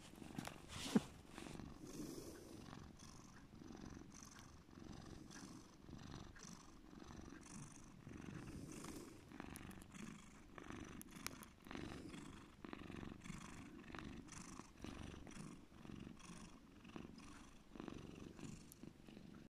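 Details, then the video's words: Deep, steady purring from Bear, a domestic cat, a low rumbling drone that swells and eases in gentle cycles, with occasional small clicks and rustles nearby. "my cat Bear deep purring"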